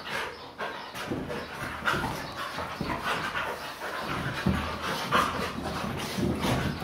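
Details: Several pet Siberian Huskies playing roughly together on a couch indoors: steady breathy panting mixed with scuffling bursts and thumps, uneven and noisy throughout.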